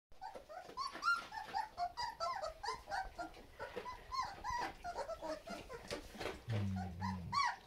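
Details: Labrador Retriever puppies whimper and squeal together in a steady chorus of high, wavering cries.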